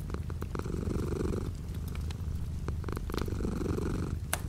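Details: Cat purr beside a window with light rain outside; a close, deep, rhythmic rumble in two swelling breaths, accompanied by occasional tapping raindrops.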